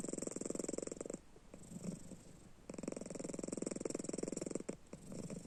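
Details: Panda, a pet house cat, asleep with open eyes and snoring, a fast, fluttering low rumble in two long stretches separated by a quieter breathing gap of about one and a half seconds.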